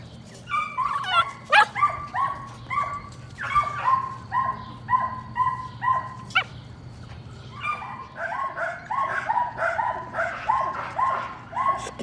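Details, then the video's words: Patterdale Terrier puppies working rats in a puppy pen, among them Cricket, a young black female: a run of high, harmonic yipping barks in quick bursts, some sharp clicks and knocks between them. "Patterdale Terriers- More Patterdale Puppies Working Rats"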